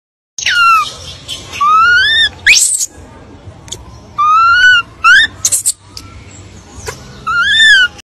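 A monkey gives clear, rising, whistle-like calls with rich harmonics, repeated in short bursts.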